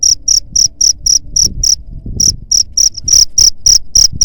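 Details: Cricket chirping, played to drive away rats: loud, high, shrill pulses repeated about four times a second in a steady train, with a short pause near the middle and faint low rumbling beneath.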